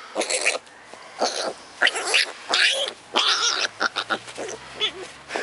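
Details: A young wild boar at a quarantine centre gives rough, breathy squeals and grunts in short, irregular bursts while hiding somewhere. Wild boar.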